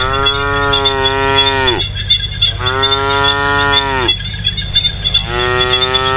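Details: Cows lowing in an authentic rural countryside setting on a peaceful day: three long, drawn-out moos, each about one and a half seconds, falling in pitch at the end, with a steady high insect buzz throughout.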